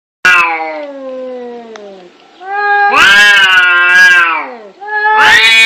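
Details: Cats fighting and angry: a long wavering yowl with rich harmonics sags and fades, then a louder, rising-and-falling howl swells for nearly two seconds before another harsh yowl breaks in at the end.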